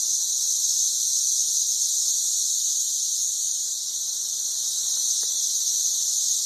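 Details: Brood XIX periodical cicadas massed in trees outside a house in Murfreesboro, Tennessee: a continuous, dense, high-pitched shrill buzzing chorus without breaks, steady in loudness throughout.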